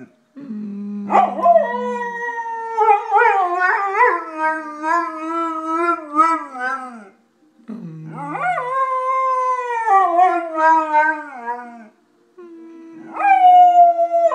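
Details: Golden retriever named Jimmy howling in a human-like speaking manner: three drawn-out tonal howls separated by short silences, each starting with a sharp upward yelp then wobbling and slowly sliding downward.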